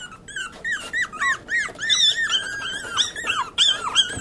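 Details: Pomeranian puppies indoors: a rapid run of high, squeaky whines and yips, each rising then bending down, overlapping and repeated several times a second, with no other clear sounds.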